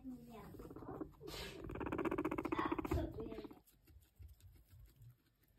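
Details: Pet guinea pig being given hay to eat: a squeaky rising onset gives way to a dense, buzzy pulsed chattering burst lasting about two seconds, then quieter rustling and crunching of hay.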